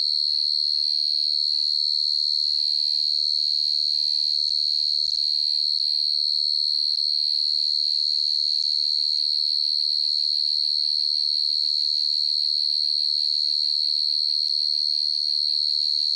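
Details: A field cricket chirping through the night in a steady, fast, regular pulse of one high, piercing tone, with occasional soft low rumbles in the background.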